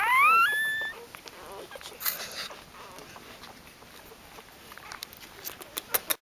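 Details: Newborn puppies from a litter of thirteen, ten males and three females, born the same morning: a single loud, high rising squeal at the start, then faint rustling and soft clicks.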